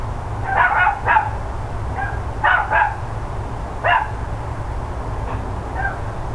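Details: Dogs next door barking on 13 October 2012 around 10 AM, with irregular clusters of harsh barks, some doubled, and softer single yaps between them, all over a continuous low-pitched hum.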